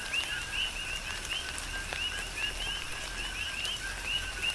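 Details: A chorus of coqui frogs on Hawaii's Big Island during a tropical rain shower, the frogs trading quick upward two-part chirps in steady rhythm while rain hisses and drips in the background.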